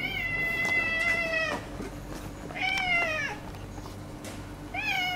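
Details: The very friendly white tabby female of the neighbourhood, now sharing her sleeping spot with a rival cat, gives three drawn-out meows, each with rich harmonics and a slight fall at the end, spaced about two seconds apart.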